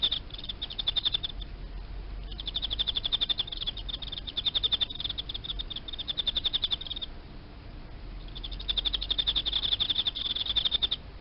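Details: Captive Emma field cricket, raised as live food for small frogs, chirping in long runs of rapid, even, high-pitched pulses lasting several seconds, broken by short silent gaps; low hum in the background.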